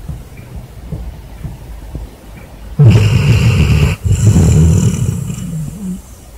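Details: Asleep in bed after a hard day, a basset hound gives out a loud snore. After near quiet, two heavy, rasping low breaths follow one another with a brief break between them.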